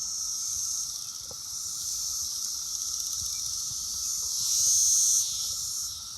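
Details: A dense chorus of Brood X periodical cicadas on an apple tree in early June makes a loud, continuous high hissing drone over a fainter steady hum, swelling briefly near the end before settling back.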